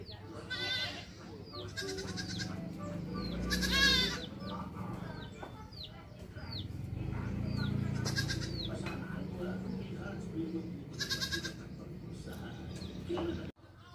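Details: Goat with its kids, an adult and young animals bleating in short wavering calls with strong harmonics, several bursts spread through the recording, plus quick high chirping bird notes and a low background rumble.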